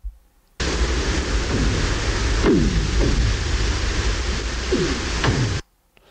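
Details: North Pacific right whale. Several loud, abrupt cracks from a North Pacific right whale ring out like gunshots, each with a quick low downward sweep after it. A constant hiss of underwater noise fills the background.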